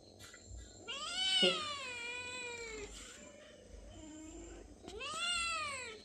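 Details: Hungry domestic cats calling indoors: two long, drawn-out harmonic meows, the first wavering and falling over nearly two seconds, a softer call between, then a shorter rising-falling meow near the end; quiet background.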